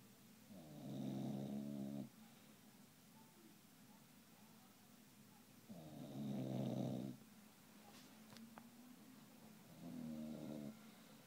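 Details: English Bulldog snoring in deep rhythmic bursts, three loud rattling, gurgling breaths roughly every four to five seconds, with a quiet background hum between them.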